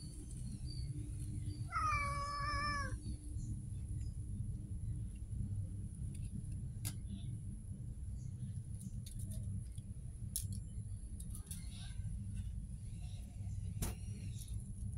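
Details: Street cat giving a single harmonic meow about two seconds in, rising then level, over steady low rumbling background noise with scattered faint clicks.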